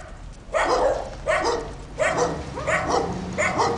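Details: Neighbours' dogs barking during a walk around the neighbourhood, sharp barks repeated roughly every half to one second, some doubled, over faint background hum.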